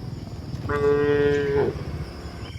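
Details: A cow on a hill walk gives a single steady moo about one second long, flat in pitch and rich in harmonics, over a low rumbling background.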